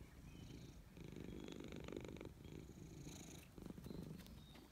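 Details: Petted grey stray cat purring at high volume in contentment, a dense, continuous low throb swelling and easing with each breath, with faint rustling and handling noise.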